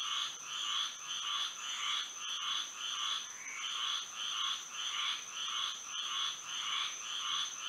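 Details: Frogs singing at night under moonlight in Florida: a dense chorus of bright, throbbing croaks pulsing almost twice per second, layered over a steady, thin, high-pitched whine.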